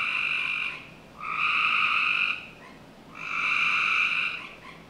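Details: Summer night chorus from a home backyard in Northern Virginia, with frogs giving sustained buzzy trills about a second and a half long, separated by brief quiet pauses.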